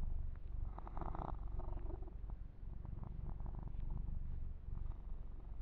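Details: Pet kitten Yumak purrs while being massaged and groomed; a deep, fast-pulsing rumble runs throughout, with scratchy rubbing noises around the first second and soft handling sounds later.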